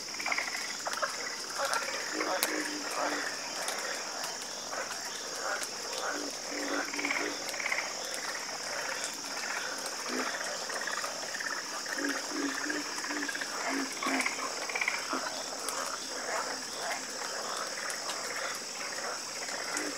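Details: Chorus of frogs croaking: overlapping short, throaty notes in irregular bursts from many callers, over a steady high-pitched insect drone that runs throughout.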